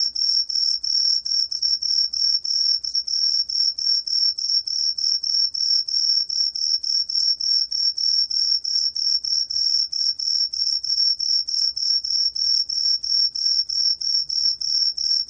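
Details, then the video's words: Truljalia tree cricket from Korea's National Institute of Biological Resources, 2020, giving a steady high, clear whistled trill of rapid pulses that runs unbroken throughout, with a faint lower tone beneath and no other sounds. "청솔귀뚜라미, 여러번 듣기, 곤충소리"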